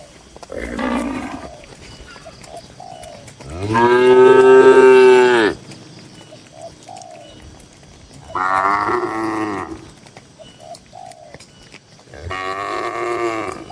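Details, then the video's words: Tame cattle in a busy livestock-farm barn holding dozens of cows. Four deep, harmonic moos, the longest and loudest about two seconds, separated by quieter barn background. "Moo Moo Suara Sapi Lucu"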